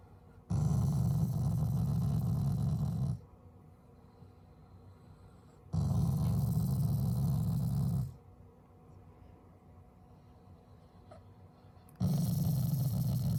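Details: A family Shiba Inu growls at its owners, affectionate and not angry. Three long, low, throaty rumbles, each about two to three seconds, are steady and rough-textured, with quiet pauses between them indoors.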